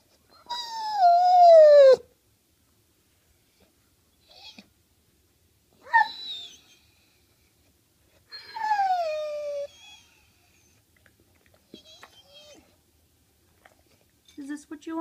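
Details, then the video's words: Staffordshire Bull Terrier crying over a sweet potato fry he is not allowed; several separate whining cries with pauses between, the longest gliding downward, later ones short and faint, with some soft background noise. "Pit bull cries over sweet potato fries"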